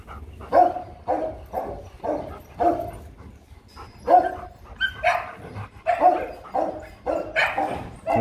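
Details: Loki and Siro, a Rottweiler pair being bred with puppies hoped for in 2021, let out repeated sharp yelps and whiny barks roughly every second or two during mating, with quieter gaps between them.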